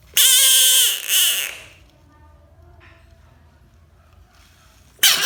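An American bullfrog gives a loud, shrill, wailing scream, followed by a shorter cry and a brief final burst.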